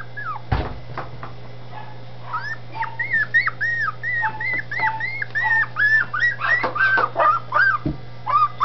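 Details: Dachshund puppies in their new kennel in Campinas, São Paulo, Brazil, giving a rapid run of high whining whimpers and yips, rising and falling, about three per second, over a steady low hum with a couple of knocks.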